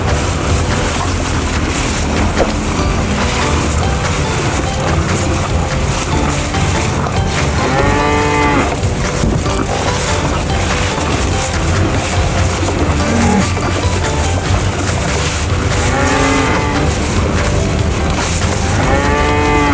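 Cattle moo repeatedly, deep drawn-out lows over a dense, busy background.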